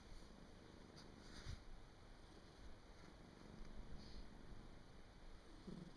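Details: Domestic cat sleeping soundly indoors on 23 December 2017, snoring: a soft, steady, low rumble that runs through the whole stretch, faint, with a few light clicks and rustles on top.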